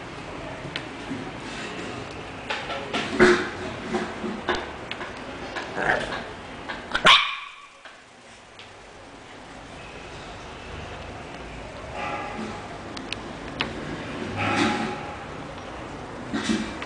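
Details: English bulldog barking: short, sharp barks scattered through the recording, with one loud burst near the middle, over a steady hissing background.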